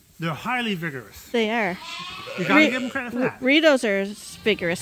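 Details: Bottle-fed lambs at Ewetopia Farms, still on their mothers but topped up twice a day from a hand-made bottle feeder. Loud, wavering bleats come in short bursts of about half a second, overlapping a person talking nearby.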